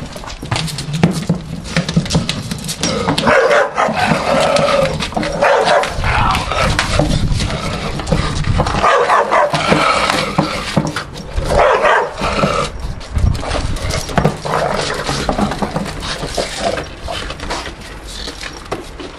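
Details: Staffordshire Bull Terrier named Buster tearing apart a traffic cone while his brother threatens, rough growls and harsh barks bursting in irregular clusters amid scraping and chewing noises, with a few spoken words.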